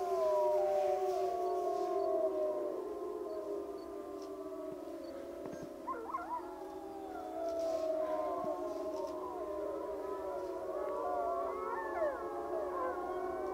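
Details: Chorus of the Wapiti Lake wolf pack howling together: steady low howls held underneath while higher voices slide, quaver and break into short rising yelps, the whole pack sounding continuously.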